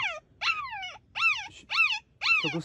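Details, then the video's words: One of three abandoned puppies of a stray dog, found in a backyard greenhouse, barking very loudly: four sharp, high yelping cries, each sliding downward, spaced about half a second apart. "Oh cielo, ci sono tre cuccioli qui! Uno di loro sta abbaiando molto forte."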